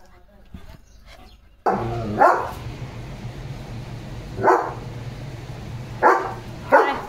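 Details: Leo, a German Shepherd dog, after a bath with hair drying, gives a few loud barks at about two-second intervals, with a steady low hum beneath and a person speaking Marathi nearby.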